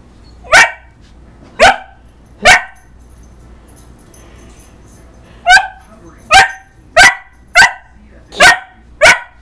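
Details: Dog barking at its reflection in a mirror: three sharp barks, a pause of about two seconds, then a faster run of six barks, loud and abrupt.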